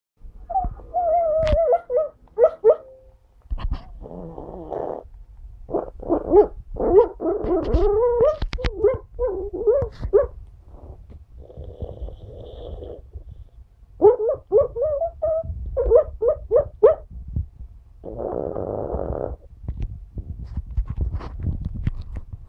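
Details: Alfie, a pug, sleeping and dreaming, making funny noises: short whimpering yips and squeaky bursts, some wavering, mixed with snorting breaths, clustered in bouts with quiet pauses between.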